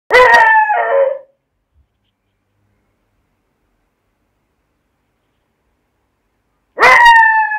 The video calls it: Beagle puppy 🐶 Barking